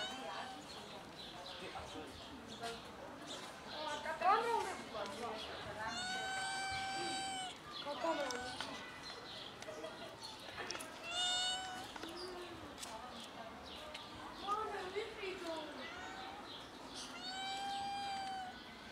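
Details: Three kittens playing with their black mother cat before eating give several high, thin, drawn-out meows, some bending up and down, spaced a few seconds apart over steady outdoor noise, with a human voice now and then.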